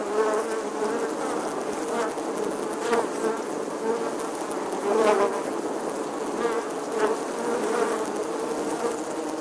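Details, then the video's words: Summer bee with a sustained buzzing drone, pitch wavering gently, loudness swelling around five seconds, accompanied by faint clicks and a soft hiss. "Bee Buzzing Sounds"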